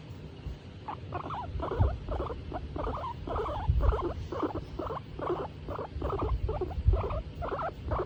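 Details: Hairless guinea pig Tomato, a female enjoying being stroked, starts after a second of quiet and then repeats short grumbling pulses about twice per second, with soft low thumps of handling.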